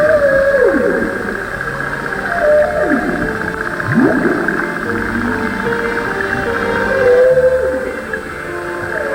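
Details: Humpback whales underwater off the Babuyan Islands in the strong-current Pacific give moans and sweeping tones, with music playing over them.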